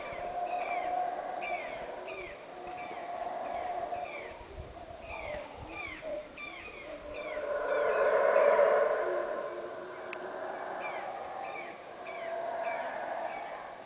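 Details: Howler monkeys heard from atop Caracol in Belize: a deep, breathy roaring chorus swells and fades, loudest midway, under a steady series of repeated, sharply dropping bird chirps.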